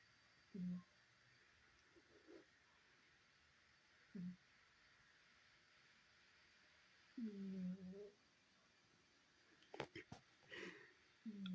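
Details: Sokkies, a male pet cat who has snored loudly since he was a kitten, sleeping indoors: low, rough snores come in separate bursts a few seconds apart, the longest a drawn-out rasping breath, with faint rustling near the end.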